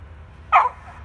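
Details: A single short bark from a pet beagle hunting squirrels, one sharp burst lasting a fraction of a second against a quiet background.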